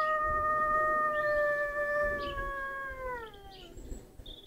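A lurcher gives a long, steady, tuneful howl that holds its pitch, then slides down and fades.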